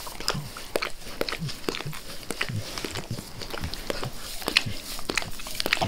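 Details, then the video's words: Max the dog eagerly licking his owner's face indoors, a fast run of wet smacking clicks and slurps, irregular and closely spaced, with soft low tongue and breath thumps underneath and no talking. "ASMR DOG LICKING"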